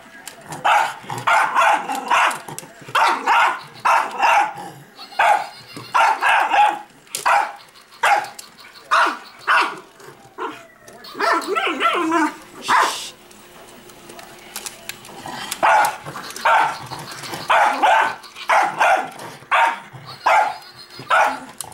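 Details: Pet dog going crazy at a robot dog, barking rapidly and excitedly in steady bursts, around thirty barks with few pauses, while people cheer and shout encouragement and mechanical clatter sounds.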